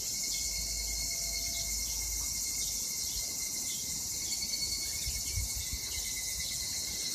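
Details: Chorus of higurashi, the evening cicada, heard in Japanese summer 2021, a continuous bright high buzzing wash holding even throughout, over a low rumble of background noise.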